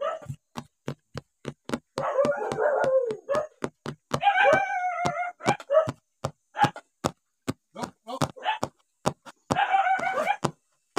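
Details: Stray dogs fed rice in the morning: drawn-out, tonal whining yelps come in three bursts, with rapid clicking eating sounds running through the whole stretch.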